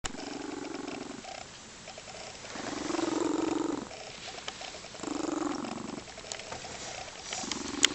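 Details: Female Lynx Point Siamese cat, described as happy and loving, purring and rumbling in long steady low bursts, each lasting about one to one and a half seconds with brief pauses between, a rhythmic breathing cycle throughout; faint household background.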